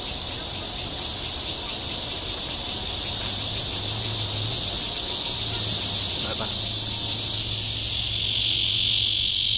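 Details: Courting Cryptotympana holsti cicada in Zhongli's Guangming Park, Taiwan, producing a sustained, piercing buzz with rapid regular pulsing that swells slightly toward the end; a soft low drone and one brief click are heard.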